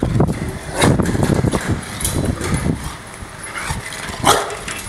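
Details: Angry Rottweiler giving a few deep, loud barks spaced irregularly across five seconds, with heavy low rumbling background noise throughout.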